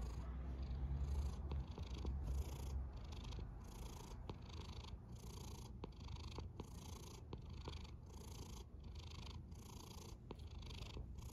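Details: Cat asleep and snoring: a low steady rumble beneath a long series of breathy whooshes, roughly one every second, with brief sharp clicks between some breaths.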